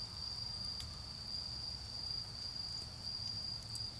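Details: Autumn-night insects produce a level, high, continuous singing tone in a garden where a bonfire burns; a couple of light crackles from the fire and a low rumbling of distant vehicles are also heard.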